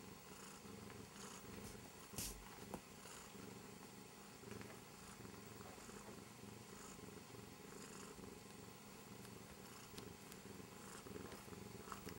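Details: Korat cat named Ender, a curious male exploring everything around him, giving a continuous low purr with a few sharper taps and rustling sounds near the start and scattered through the recording.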